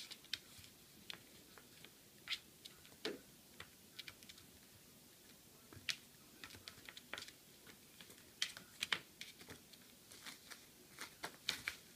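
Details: Quiet room filled with sharp irregular clicks and taps, like a small cork being batted and dropped, with no vocal sounds.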